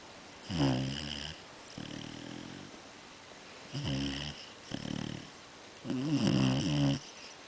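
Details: Basset Hound mix dog snoring: rasping, buzzy breaths with strong low harmonics, about five snores in seven seconds, the last one loudest, with quiet pauses between them.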